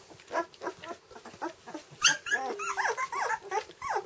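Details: Two-week-old red standard poodle puppies from Nellie's litter, their eyes newly opened, give a rapid jumble of thin, squeaky whimpers. Short rising-and-falling whines overlap irregularly, with one sharper squeal midway.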